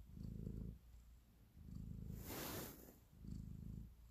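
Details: Purring house cat kneading affectionately; low rumbling pulses broken midway by a loud soft hiss of rustling or breath, then the purr resumes in a final short burst.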